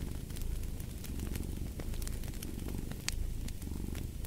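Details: Continuous low, throbbing purr from a cat, rising and easing gently, with the crackle of a burning fire scattered over the top.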